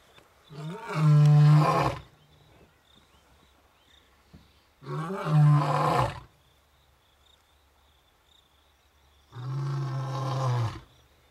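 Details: Two awake male lions roar in Africa on a game reserve, calling out to the animals around. The roars are deep and rumbling, each about a second and a half long, with pauses between them.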